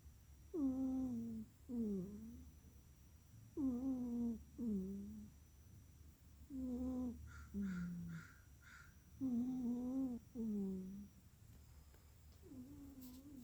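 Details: Sleeping house cat, Miss Tally Checkers, snores steadily: tonal, faintly whistling breaths falling in pitch, coming in pairs about every three seconds, with a brief higher chirpy sound in the middle.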